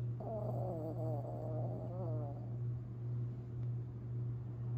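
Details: Long Haired Chihuahua named Tinkerbell, asleep and dreaming, recorded April 17, 2021: wavering, whiny nasal tones rise and fall for about two seconds, then fade, over a steady low electrical hum.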